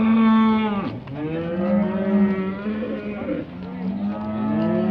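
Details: Eighteen-month heifers being judged at the 2020 Montluçon show: a steady low moo opens, then sweeping, wavering bellows swell and bend in pitch, others joining, over a constant background murmur.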